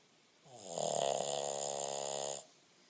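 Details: Boston Terrier named Beanie, asleep in his owner's lap, snoring indoors: one drawn-out raspy snore of about two seconds, buzzy and droning with a steady hiss over it, rising from and falling back to a quiet room.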